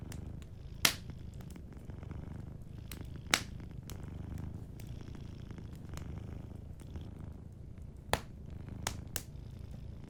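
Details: A cat purrs gently in its sleep by a warm fire. The continuous deep, throbbing rumble fills the clip while scattered crackling pops from the fireplace punctuate it, the loudest near the start and third second.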